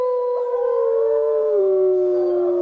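A grey wolf gives a long, smooth howl that holds a steady mid pitch, then slides gently lower and fades out after about two and a half seconds.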